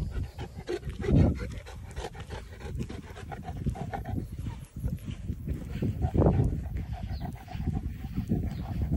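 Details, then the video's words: Saint Bernard dog tired from the summer heat during a walk outside, panting in quick rough breaths with louder bursts near one and six seconds, over low rumbling outdoor noise and scuffing steps. "Saint Bernard is sooo tired"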